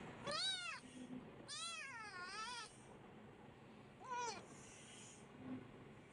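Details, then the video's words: Kitten wanting attention, giving three high harmonic-rich meows: two long arched calls close together, then a shorter one after a pause, over quiet background hiss. "A Kitten Needs Constant Attention"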